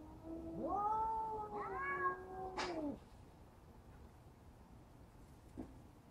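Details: A cat facing down a bully cat lets out a loud rising yowl that swells and holds for two seconds before breaking off, followed by quiet with a faint thump.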